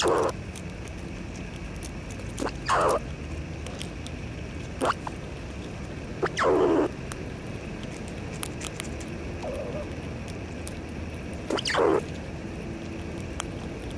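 A squirrel gives short, raspy growling bursts every few seconds over a steady background hiss.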